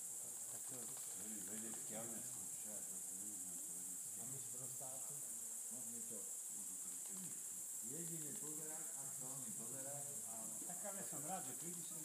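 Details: Many greater mouse-eared bats at Ratkova: busy squeaking and chirping in wavering, arched notes, with a louder cluster of calls after the midpoint and a steady hiss throughout.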